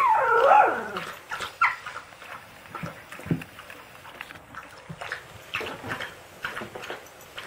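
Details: Siberian Husky puppy yelling at its siblings: a loud, high, wavering yowl at the start that slides downward, then scattered short yips, whines and soft scuffling sounds from the litter.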